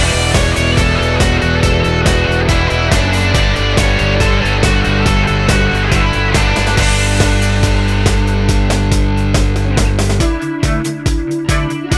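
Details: Loud rock music fills the whole stretch, with pounding drums, distorted guitars and a heavy bass line that drops out near the end.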